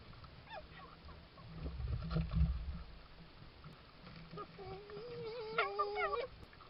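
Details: Red fox recorded by trail camera in a Suffolk garden at night, 19th–20th July 2022: a quavering, rising and falling whine with harmonic bands near the end, preceded by low snuffling sounds and short clicks.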